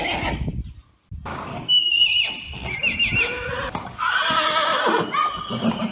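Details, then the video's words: Arabian horses whinnying: several overlapping high, wavering neighs rise and fall after a brief silence, with lower-pitched whinnies and background thumps mixed in. "صوت صهيل الحصانpictures and neighing of horses"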